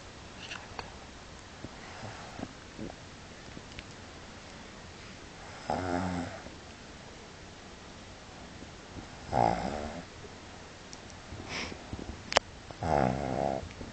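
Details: Pug snoring while asleep indoors: rasping, harmonic snores of about a second each arrive at irregular intervals, a few seconds apart, over a faint room hiss with small clicks between breaths.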